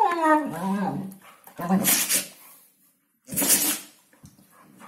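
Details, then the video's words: Hungarian Vizsla "talking" at New Year: a wavering, moaning whine that slides downward over about a second, followed by short breathy huffs and bursts separated by pauses. "Hungarian vizsla new year's talk"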